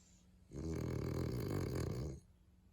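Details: French Bulldog, one of two sleeping together, snoring: a single long rattling breath of about one and a half seconds, low and vibrating, rising from quiet and stopping abruptly in a still room.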